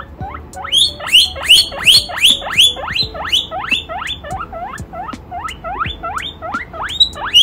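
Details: Excited baby guinea pig wheeking loudly at the sight of chinchillas: a steady series of sharp upward-sweeping squeals, nearly three per second, each ending in a high whistle, over faint background clatter.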